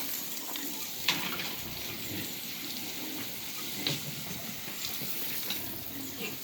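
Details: Crackling, sizzling noise like frying, with occasional sharp clicks and faint speech in the background; no pig sounds.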